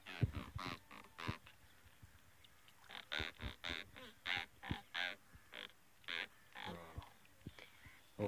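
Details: A freshly caught giant river catfish (singara), just pulled from the water, gives a run of short, rasping croaks, repeated about twice a second.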